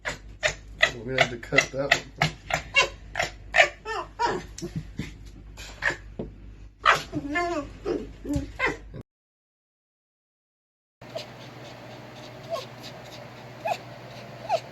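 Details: Pet red fox, most talkative when annoyed, giving a fast run of sharp, repeated yipping chatter pulses with a few wavering whines. The calls stop abruptly and a quieter stretch of faint room noise follows.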